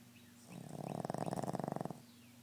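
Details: Boston Terrier snoring: one drawn-out rattling snore lasting about a second and a half, a rough, rapidly pulsed low buzz that swells and then stops, with a quiet room before and after.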